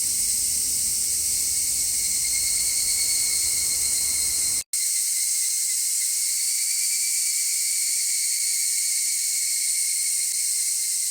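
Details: A dense, steady cicada buzz fills the recording; distant car rumble accompanies it for about four and a half seconds, then a short break, after which the same high drone continues with the low noise removed.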